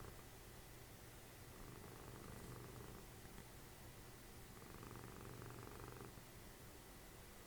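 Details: Dessie, a cuddly house cat and mother of Fritjof, snoring while cuddling as the TV plays: a low pulsing rumble swelling in two long breath-length bursts, between quieter stretches of steady buzz.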